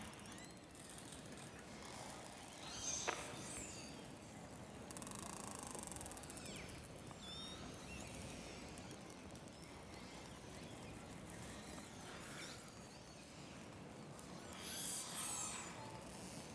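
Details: A group of 30 to 40 orcas echolocates and communicates in darkness under sea ice, giving thin, high, squealing whistles over a steady underwater hiss; four-channel recording.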